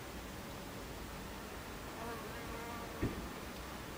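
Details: Buckfast bees at their hive entrance, 26 July 2013 at 14:30; an even hum of many bees with a soft wavering tone of a nearby flyer and a short sharp tap near the end.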